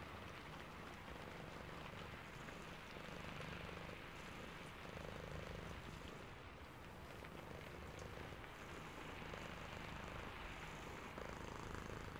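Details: Purring of a sleepy cat during rain: deep rhythmic rumbling, roughly four pulses per second, with a continuous patter and hiss of rain over it.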